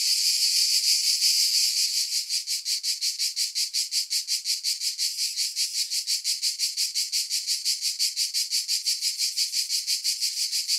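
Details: Cicada song: a smooth, shrill buzz for about two seconds that breaks into rhythmic pulsing, close to three beats per second, until the end.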